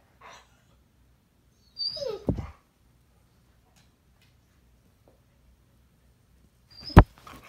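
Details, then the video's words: Puppy throwing a tantrum indoors: one short, high whine sliding downward near the start, then quiet room tone and a sharp knock toward the end. "Puppy tantrum"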